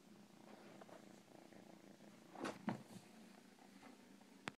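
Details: Cat purring: a low, steady, rumbling buzz running throughout, with a few brief louder rustles or clicks near the middle and at the end.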